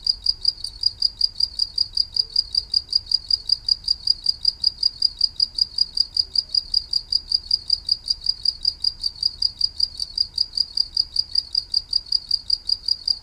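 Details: A cricket sings a continuous train of shrill, evenly spaced chirps at a fast, regular pace over quiet low background hum.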